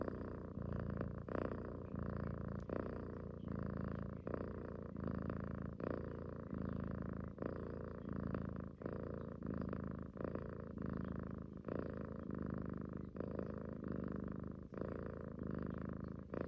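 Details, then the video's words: Domestic cat purring loudly while cuddling with her owner, as she does every morning and night; a steady low rumble broken into cycles about every second by breaths, with faint snoring-like texture. "Snoring cat wants mother’s love"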